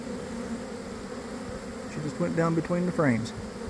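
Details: Inside a honey bee swarm as it forms near a hive on a warm afternoon after cold, damp days. An even droning hum, then after two seconds a burst of loud close passes with sharply bending pitch.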